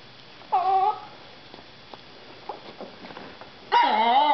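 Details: Indoors, Natasha, a Russian Toy Terrier, and Soxie Sue, a Papillon, beg for dinner: one short, rich, wavering whine, a pause with faint clicks and shuffling, then a louder, longer whine that bends downward, while a person speaks to Tasha.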